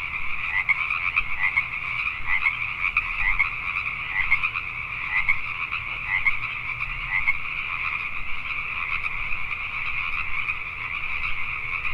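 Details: Pacific tree frogs calling at night in Richmond, British Columbia, Canada: a dense, continuous chorus of overlapping rasping croaks, with individual pulses rising out of a steady two-toned drone and faint low background rumble.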